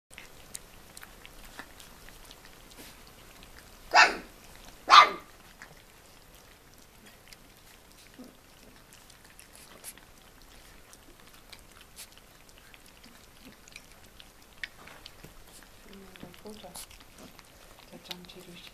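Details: Four-week-old collie puppies from litter D, indoors: two short, sharp, broadband barks about a second apart, followed by near silence with faint rustles and scattered small noises.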